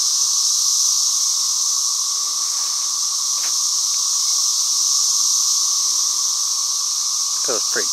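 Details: Cicadas calling loudly among trees and hedges, a continuous high, hissing buzz that never breaks, with a brief low voice near the end.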